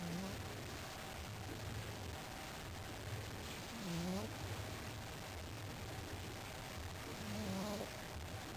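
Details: A pet pug dog snoring: soft, wheezy nasal tones rising and falling in three breaths roughly every three to four seconds, low and faint over a steady background hiss.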